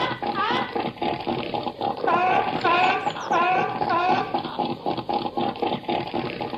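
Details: Seal calling in 8D audio: a steady dense chorus with a run of rising, bending harmonic calls in the middle, several overlapping callers, and a watery background hubbub.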